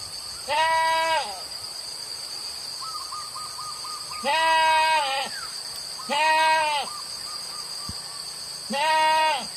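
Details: Village goats released onto wild grass fields to graze from morning to evening; four loud, wavering, nasal bleats, each under a second, spaced a few seconds apart, over a steady high-pitched buzz and faint short chirping notes between them.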